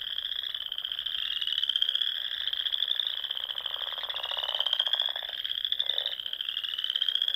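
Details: Spring chorus of frogs at dusk from a pond in Nebraska's Sandhills; a steady, shrill ringing trill from many frogs overlaps without pause, while a lower rattling croak rises briefly near the middle.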